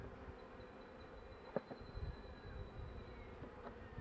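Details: Honey bees of a struggling colony, kept in a hive nearing spring, during frame work; a soft continuous low hum with a faint thin tone above and a few handling taps.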